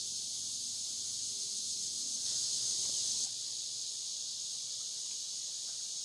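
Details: Licking River cicadas at Morning View, recorded from dusk to dawn. A continuous high buzzing chorus briefly grows louder for about a second before settling back to an even drone over faint low hum.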